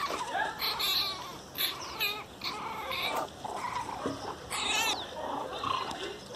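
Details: An angry Miniature Pinscher cries very loudly, giving wavering, rising and falling whines and yelps in irregular bursts with brief pauses between them.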